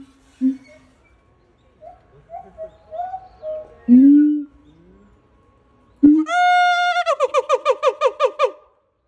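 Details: A male siamang at Higashiyama Zoo, Japan, sings solo because his female partner has died: low hoots and a deep boom, then a loud wailing, shout-like note breaking into rapid repeated barks.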